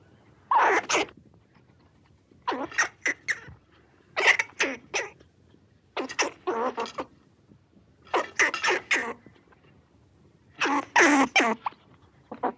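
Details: Red squirrel chattering in rasping clusters of three to five rapid pulses, each cluster lasting under a second, repeated about every two seconds in a still setting.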